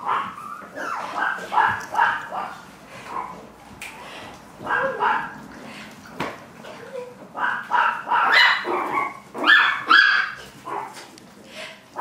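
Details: Chihuahua puppies barking in a busy series of short, sharp yaps, about two each second and unevenly spaced, with a human voice faintly underneath.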